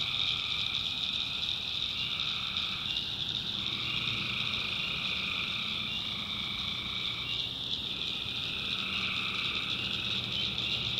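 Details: Night chorus of tree frogs in North Carolina swamp backwoods, a constant shrill high drone beneath rough, harmonic calls that swell and break off in bouts lasting one to three seconds.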